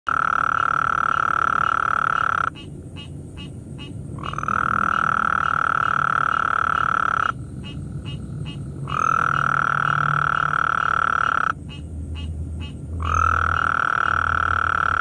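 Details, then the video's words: Several Gulf Coast toads out at night, one giving its call, a long, steady, buzzy trill with short breaks between bouts; a tree frog calls nearby. "Gulf Coast Toad singing in the night with tree frog"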